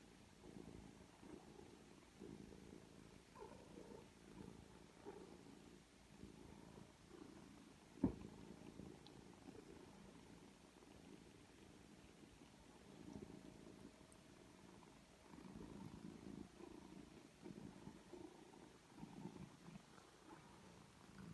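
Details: Three-week-old foster kittens and mother cat, treated for infections at a rescue, purring softly and continuously in low rhythmic waves, with one sharp click partway through.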